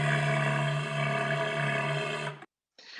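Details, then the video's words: A walrus gives a loud, low, steady roar, rich and buzzy, that stops abruptly. "this is a walrus roar"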